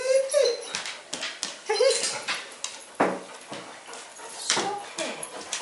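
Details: Eight-week-old pug puppy Audrey Rose meeting Molly and Knarley for the first time indoors; two brief high whining yelps open the clip, then scuffling, clicks and a woman's soft voice.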